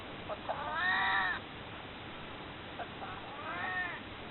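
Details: Aged domestic cat, soon to turn 22, pleading to be held with two drawn-out meows, each preceded by a brief chirp, roughly 2.5 seconds apart.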